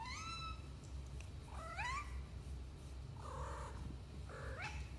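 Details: Domestic cats Cleo and Annie bringing presents indoors at night, caught on a home security camera: several loud, wavering meows, some rising then falling, others flat and drawn out, over a steady low room hum.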